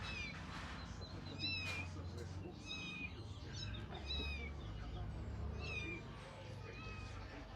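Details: Cat meowing: many short, high, bending meows, some rising and some falling, in quick overlapping succession, over a steady low rumble with faint voices in the background.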